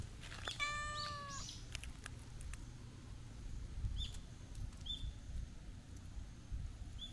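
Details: Stray cat walking at a Japanese shrine, giving one clear, drawn-out meow near the start that holds steady and then drops; faint high chirps follow later, over a steady low outdoor rumble.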